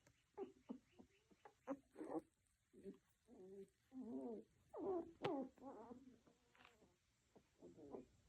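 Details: Tiny poodle puppies giving a run of short, squeaky whimpers and yelps, some rising then falling, in quick irregular bursts and overlapping, with brief quiet gaps between groups.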